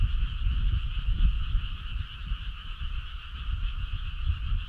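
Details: Frogs calling on a summer night: a dense, unbroken chorus of many overlapping croaking trills, steady throughout, over a heavy low rumble resembling wind or handling noise.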